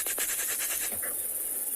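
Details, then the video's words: Armoured ground crickets at a South African game reserve on a still January afternoon keep up a steady, very high-pitched, hissing buzz, with a few soft clicks early on, made by beating plates on remnant wings. "that's the sound produced by those armored ground crickets"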